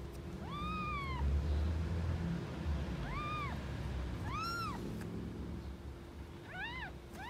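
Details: Angry mother cat protecting her kittens among stray cats living on the street: a few separate, arching meows, each rising and dropping, spaced a second or more apart, with a rumbling low background.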